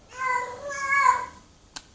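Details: A domestic cat gives a heat call, a long, loud, wavering meow over a second long, rising then falling in pitch, with faint clicks; unneutered cats call each other from afar in mating season.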